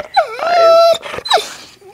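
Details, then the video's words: Pet dog whining indoors while its owner talks to it, a high drawn-out tonal whine holding steady then breaking off, followed by a short rising squeak. "Good Dog Telling Stories"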